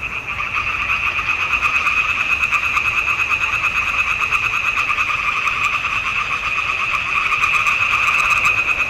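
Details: In June 2021, a dense chorus of frogs in a marsh pond gives a steady wash of rapid, rattling croaks from many callers at once.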